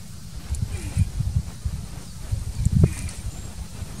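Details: Leopard tortoises mating in the wild in Kruger National Park, South Africa: deep low grunts and puffing thuds in uneven bursts, clustered around the first second and again near three seconds, with faint rustling between.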